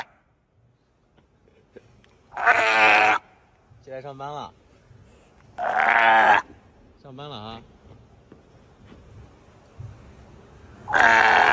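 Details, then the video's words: A sea lion calling out in loud, harsh, broad blasts, three long raucous bursts alternating with shorter ribbed, pulsing calls, the voice sounding like yelling; a person speaks quietly between the calls. "Is this sea lion yelling at us"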